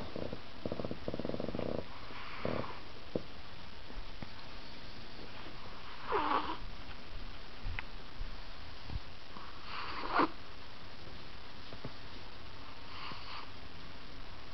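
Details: Drowsy fat Chihuahua named Ahji drifting off to sleep indoors: low snuffling snores and sniffs, with a few louder breathy snorts spaced several seconds apart against a quiet room.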